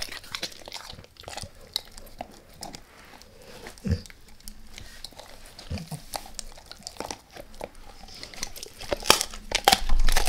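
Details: A dog called Max eating a beef rib, recorded close for ASMR with no talking: irregular bites and crunches that build to louder, rapid gnawing near the end.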